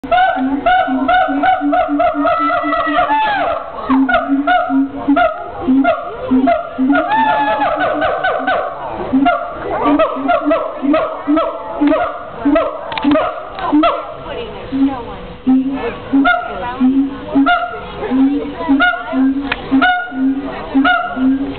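Monkeys call in a busy chorus of harmonic, chattering hoots and rising squeals.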